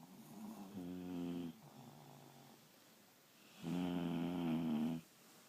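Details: Deep, droning snores from two sleeping dogs, heard as two long, loud, humming breaths about a second each, separated by a quieter stretch.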